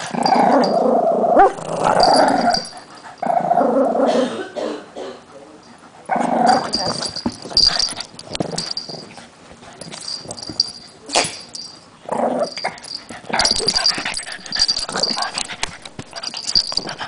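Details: Puppies at tug of war indoors growl in rough broken bursts with whimpers and yips; a human voice is heard briefly, and a steady high whine runs throughout.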